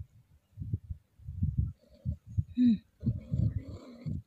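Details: Gently stroked female Scottish Fold cat in heat makes low throat sounds, then a short rising-falling whine and a longer wavering tonal moan in the last second or so.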